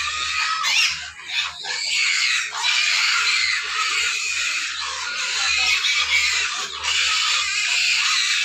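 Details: Several hungry pigs squeal loudly and continuously, a rough high-pitched screaming wall of sound with short dips, over a faint low mechanical hum.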